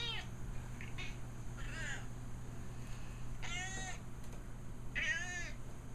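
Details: Casey, a 14-year-old female pet cat, begging indoors for food, petting or to be let in or out; three drawn-out, arching meows sound in close succession over a steady low hum.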